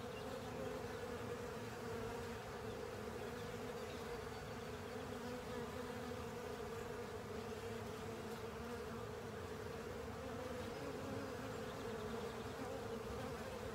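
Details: Many honey bees with other insects working over a honey filter to clean it, producing an unbroken droning buzz, dense and even in loudness from start to finish.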